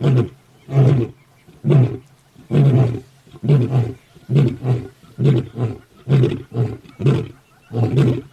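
A lion gives a series of deep, booming grunting roars, roughly one per second.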